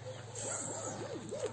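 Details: Puppy giving a run of high, arching whines, about five rising-and-falling cries in quick succession over a steady low hum.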